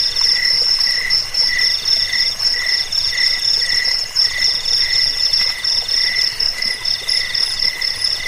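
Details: Several crickets keep up an unbroken high chirping, a piercing upper tone over softer pulsed trills in short repeated bursts. The recording is meant as a rat repellent, a lullaby and a tutor track for songbirds.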